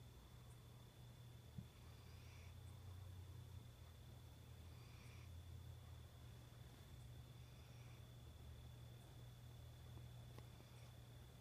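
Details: Cairo, a pet cat, making a sort of snoring noise while asleep, recorded September 2014; faint raspy breathy puffs recur roughly every two and a half seconds above a constant low hum.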